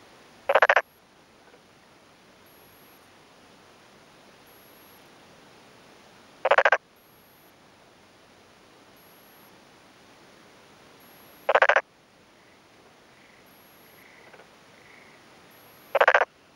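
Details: Black-spotted pond frog male calling in daytime from a flooded, puddled rice paddy in rural Yamaguchi, Japan, on a May 2011 afternoon, responding to a neighbouring male; short rasping pulsed croaks repeat about every five seconds over quiet background hiss.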